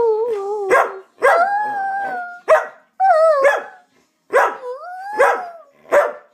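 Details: Chewy the Samoyed, barking to demand treats, mixes short loud barks with drawn-out, sliding howl-like whines, about seven bursts in quick succession.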